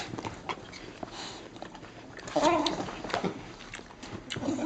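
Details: A female Staffordshire Bull Terrier wearing a cone for a corneal ulcer makes short, throaty groans and whines while getting a rub down and wanting an apple, as a person speaks softly nearby.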